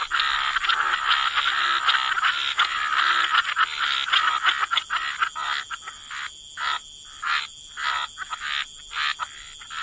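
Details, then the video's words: Croaking frogs in a waterside wetland, a dense overlapping chorus that thins midway into distinct rasping croaks spaced about half a second apart, steady high hiss behind. "Frog Lullaby: Relax to the Sound of Croaking Frogs"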